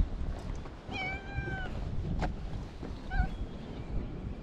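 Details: Stray cats on a cat island in Japan crowding around a man: two short harmonic meows, one around one second long and a briefer one later, over steady low outdoor rumble and handling noise.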